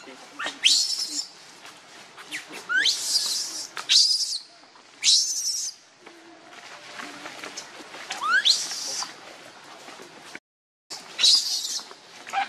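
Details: Motherless infant monkey wailing in loud, shrill, noisy screams that sweep upward, separated by short pauses and thin rising whistled notes; a brief dropout near the end.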